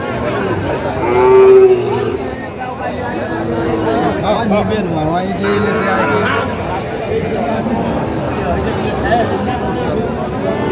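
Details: Sahiwal bull calves at a crowded cattle market in Jamalpur, Bangladesh, 28 June 2025. A short, flat, low moo rises above the din, followed by steady human chatter and bargaining voices throughout.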